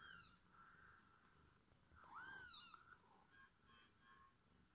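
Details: Kittens with their mother cat as she feeds them; a single clear, arched mew stands out midway, with fainter thin mews drifting before and after against soft background noise.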